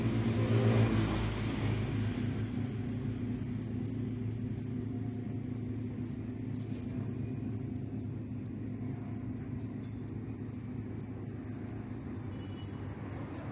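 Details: Loud cricket chirping after rainfall, the insect wandering to find a mate; sharp high pulses repeat quickly and evenly throughout, with a low rumbling noise fading out in the opening seconds.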